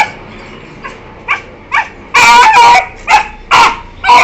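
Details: Two 1-year-4-month-old Beagles playing with each other give short, high yelps, starting soft and building into loud, harsh bursts; recorded 12 September 2021.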